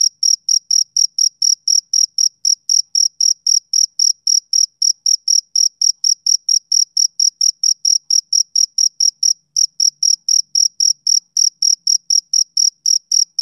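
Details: Summer-evening chirping from a male cricket: a long train of high, clipped pulses at a fast, steady rhythm, with one short hiccup in the pattern partway through. Nothing else audible.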